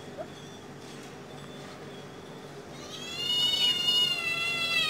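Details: Cat hunting a small bird: after a quiet start, a long drawn-out meow swells in the last two seconds, with rich harmonics bending slightly up then down over faint background hiss.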